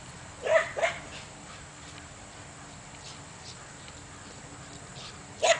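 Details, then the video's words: A Belgian Malinois barks at a couple of donkeys on the other side of a fence: two quick, sharp barks, then a third after a pause. "Malinois Barks at Donkeys"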